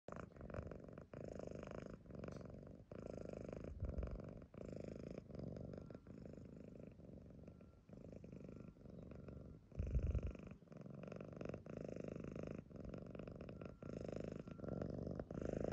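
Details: A Lilac Modern Lynx Balinese cat purrs steadily, a low rumbling vibration pulsing with each breath.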